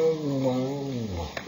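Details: Domestic cat making a "nom nom" sound while eating: a low, steady, humming tone with rich overtones, held for about one and a half seconds and slowly sinking in pitch, ending with a faint click.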